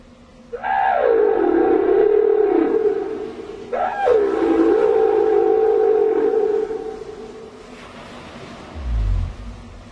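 Southern right whale giving two long tonal moans, each opening with a quick downward slide.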